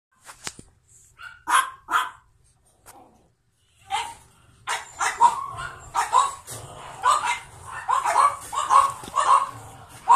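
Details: Pug born 9 April 2017, wearing a light blue collar, shown alongside a second pug; quiet opening, then from four seconds a run of short, high yapping barks, one every half second or so, with faint background rumble.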